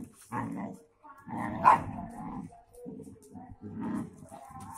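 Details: German shepherd, brown Doberman and two Labradors, friends play-fighting wildly: low rumbling growls broken by short gruff barks and snarls, several dogs overlapping.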